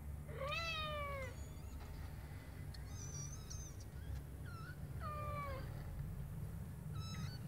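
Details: Three-week-old Scottish Fold kittens, three in a litter, mew in thin, high falling squeaks, a few spaced calls over several seconds above a low steady hum.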